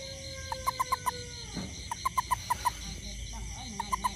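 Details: After rain around a home, a toad searching for ants gives crisp, evenly spaced notes in groups of about five, with a pause between groups, over a constant high buzzing insect background.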